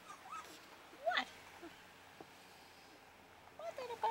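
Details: Playing puppies let out a sharp high yelp followed by quieter whines, then a short burst of squeaky yips toward the end, separated by a stretch of near silence in a calm indoor setting.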